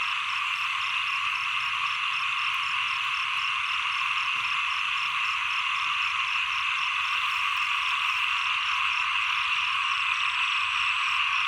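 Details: Frogs calling at the end of the rainy season and the start of the cold season. A dense, steady chorus of high trilling croaks with no break, plus a faint, rapidly pulsing higher note running throughout.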